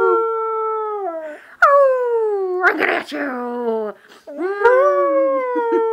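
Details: Puppy howling for only the second time: repeated long howls that start high and slide downward, with a brief noisy burst between them.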